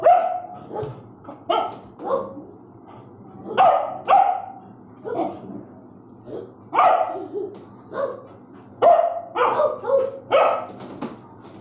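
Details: Bullmastiff giving aggressive barks: loud gruff woofs repeated unevenly, sometimes doubled or clustered in quick runs of three or four, separated by short silences.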